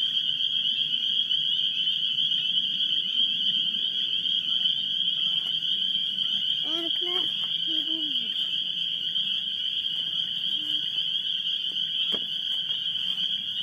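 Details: A dense chorus of spring peepers, probably mixed with wood frogs, at Great Swamp NWR after work on an unseasonably warm 14 March: countless high, piercing peeps merge into one steady, ringing shrill.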